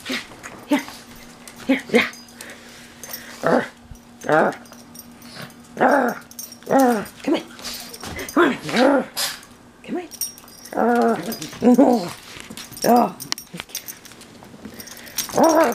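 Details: Pet pug mauling his stuffed toys with enthusiasm indoors; short harmonic whines and grunting growls arch up and down in bursts every second or so, with a woman's excited encouraging speech mixed throughout and a steady low hum.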